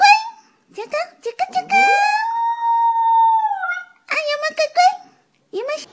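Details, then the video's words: ['Puppy howl among short yips and yelps, centred on one sustained, smooth, slightly rising tonal note held about two seconds, followed by more choppy yelping.'] "Cute Puppies Howling"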